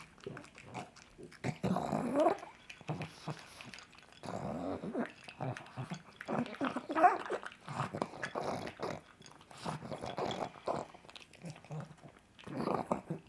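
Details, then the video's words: A pug enjoying sausage for breakfast makes loud slurping chews, snorts and throaty grumbles in uneven clusters, with quiet gaps between mouthfuls. "The Weird Sounds a Pug Makes While Eating."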